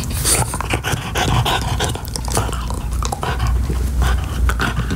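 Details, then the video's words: French Bulldog chewing a beef-flavored Nylabone chew toy indoors; steady breathy panting runs under a dense stream of sharp clicking and gnawing bites, with a brief high hiss near the start. "French Bulldog ASMR: Chewing Nylabone Beef Flavored Chew Toy"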